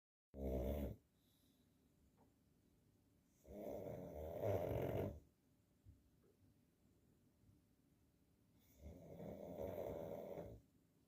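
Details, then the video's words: Sleeping pug snoring indoors: three loud, rasping snores spaced roughly four seconds apart, each a broad breathy rumble lasting about a second, with quiet breathing between them. "Мопс храпит и пусть все подождут"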